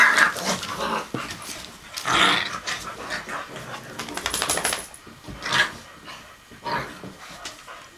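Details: Lola, a blue nose pit bull, playing with her 10-week-old pups as Chihuahua Pacino takes part; rough play growls and sharp yips come in bursts separated by quieter scuffling, with a faint high whine near the middle.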